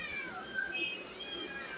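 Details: Domestic cats waiting for food that is still too hot to eat. High, drawn-out harmonic meows overlap one another and sound from more than one cat across the whole short stretch, over a faint indoor background.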